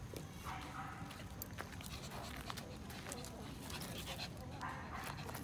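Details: Shih Tzu playing tug-of-war over a stick it found in a park, giving a low, rough, continuous growl that rumbles steadily throughout, with a person's voice talking over it.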